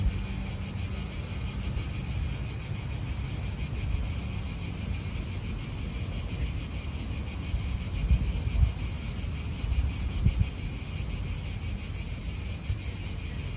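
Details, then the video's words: A continuous high cicada drone in an Italian park, finely pulsed and unbroken throughout, while gusty wind and distant car noise rumble underneath and a few brief knocks sound near the end. "italian park ASMR Cicadas wind real atmosphere in an Italian park birds"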